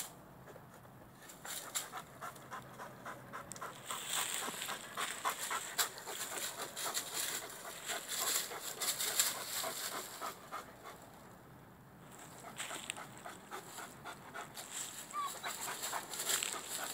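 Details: Rhodesian Ridgeback dog, male, up a tree chasing a squirrel high overhead; fast, hissing breaths and rapid panting run almost continuously, mixed with scraping and rustling, easing off briefly near the end.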